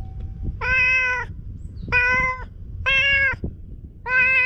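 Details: Chatty stray cat on an empty shopping street, letting itself be stroked, gives four loud, steady meows, each about half a second long and spaced roughly a second apart, with soft rustling underneath.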